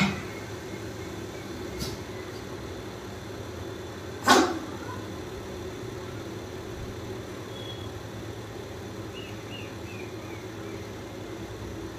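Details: Quiet room hum with a single sharp knock around four seconds, a fainter click earlier and faint chirpy squeaks near the end; no clear animal voice.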